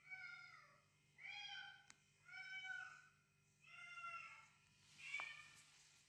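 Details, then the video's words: Domestic cat at home pursuing intruders heard in played cat calls, defending her territory; five loud, bright meows follow each other about every second, each sliding downward, with a couple of sharp clicks and a background hum. "Absolute best cat reactions to cat calls"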